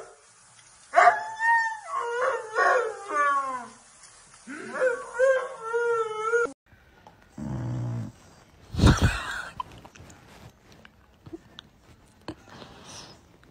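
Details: Pet dog in a funny dog compilation giving a run of drawn-out, wavering howls and whimpers in two bursts over about six seconds, followed by thumps and short noises.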